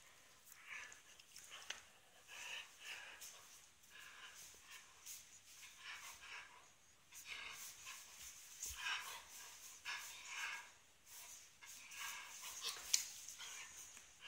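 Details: Hungarian vizsla named Rico makes soft, breathy, panting-like sounds in quick repeated bursts.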